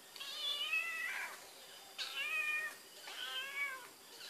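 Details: Searching for Whiskas by scent, the cat Barbie Choc repeats three long, pleading meows roughly a second apart, each bright and harmonic, flattening then dropping at the end; 12 May 2013 recording.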